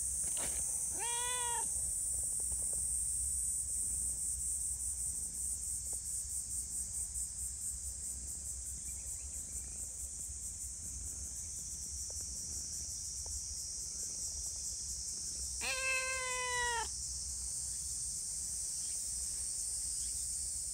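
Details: Affectionate community cats gathered after being fed: two separate meows, a short rising one early on and a longer, wavering one about fifteen seconds later, with a steady shrill insect chorus filling the background throughout.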